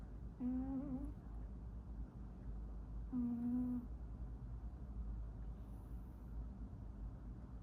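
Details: Domestic cat snoring inside a quiet room, two low humming, slightly wavering tones each lasting under a second and spaced almost three seconds apart with each breath, followed by soft low rumble and near silence.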